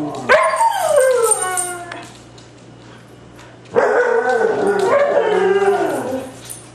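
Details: Three white huskies howling together in two bursts, each opening with a high yelp that slides down into wavering overlapping howls, separated by nearly two seconds of quiet.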